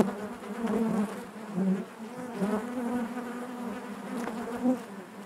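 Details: Honey bees humming inside their hive, a warm low buzz rich in overtones with several slightly louder pulses where single bees fly near, the drone never stopping.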